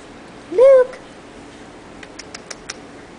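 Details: Luke, a young Bambino kitten bred from Sphynx and Munchkin cats, lets out one short clear meow that bends upward then settles, followed by a few soft clicks and taps in a quiet indoor room.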